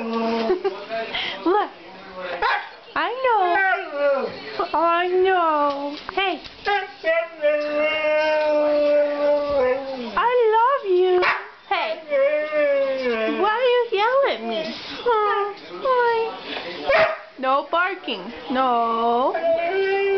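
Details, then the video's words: Male Siberian Husky telling his owner he wants to go outside: drawn-out, wavering howl-like yowls that rise and fall in pitch, in bursts through most of the stretch, while a person talks back to him over the top. "Siberian Husky talking"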